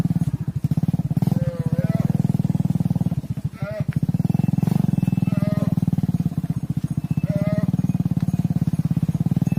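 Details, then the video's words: Cattle on a farm, mother cows entering a barn while their calves stay outside; deep, droning moos overlap almost without pause, with brief breaks, and a few thin higher whistles run over the top. "Mother Cows Entering the Barn While Their Calves Stay Outside"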